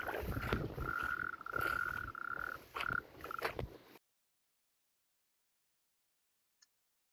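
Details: Natterjack toads recorded at Hoylake Beach, England, in 2025 churr in long, loud rattling trills, each about half a second, following one another closely like a finger drawn along a comb, over a rough background hiss until the sound cuts off.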